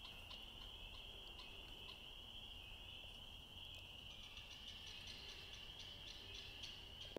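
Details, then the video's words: A dense chorus of Spring Peepers on a moonlit spring night at a farm sanctuary blends into a steady, high, shrill ringing, with scattered sharper peeps above it and a faint low rumble beneath. "Spring Peepers"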